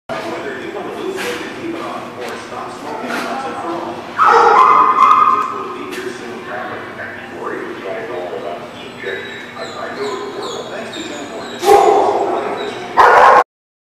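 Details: Dogs at The Barking Lot, recorded 22 January 2018: a busy mix of barks, yips and whimpers, with loud bursts of barking near four and twelve seconds, over steady human speech throughout.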